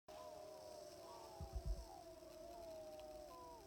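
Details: Sixteen wild timber wolves howling together on a hill in Wrangell-St Elias National Park, southeastern Alaska, September 2018, recorded from about 700 yards by iPhone through a spotting scope; overlapping wavering howls rise and fall, with low thumps midway.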